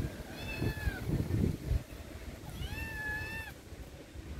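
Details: Scared feral kitten beside its mother in a backyard garden, meowing: two drawn-out, slightly falling meows about two seconds apart over low rumbling background noise.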